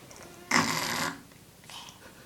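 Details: Thunder, an 11-year-old male Persian cat and a maker of many weird noises, snoring indoors: one loud, harsh, breathy rasp lasting about half a second, then a fainter, shorter breath soon after, in a quiet room.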